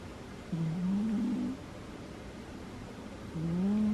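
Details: Two low, buzzy snores from Butters, a sleeping female cat, each about a second long and slightly rising in pitch, separated by a quiet pause indoors.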